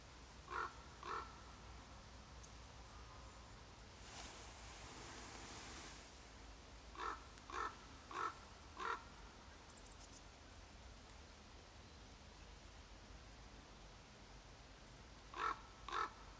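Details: A red fox (Vulpes vulpes), out by day in a meadow near a hay bale and apparently hunting mice, gives short, hoarse barks in quick groups of two to four.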